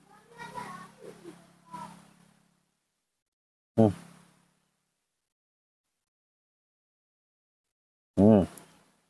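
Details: Newborn baby monkey, being held and taught to eat porridge for the first time, gives two short, loud, harmonic-rich cries about four seconds apart, following soft human speech in Indonesian.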